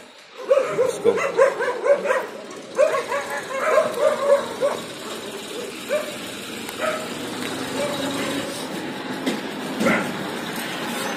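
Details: Bangalore dog training session, Labrador Retriever Lyca on a leash walk; a quick series of barks fills the first five seconds, then fades into human speech and a low hum of traffic.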